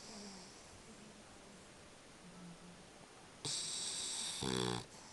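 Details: A French Bulldog snoring while asleep: soft, low droning breaths repeat through the first seconds, then a sudden loud, bright burst with stacked harmonic tones near the end.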